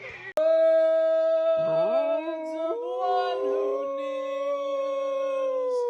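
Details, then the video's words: Domestic dog howling along, long steady sustained tones that rise in steps and hold, with a faint voice at the start. "Singing Dogs"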